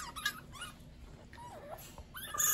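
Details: A pet fennec fox gives a string of thin, squeaky whines that bend up and down in pitch as it attacks its owner during a dog's treat-puzzle session.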